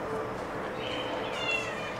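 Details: Domestic cat, Maine Coon or Bengal, at a cattery breeding giant Maine Coon, Ragdoll and Bengal cats in Juquitiba, São Paulo, Brazil; one drawn-out, wavering meow near the middle over a steady background hum, with Portuguese conversation nearby.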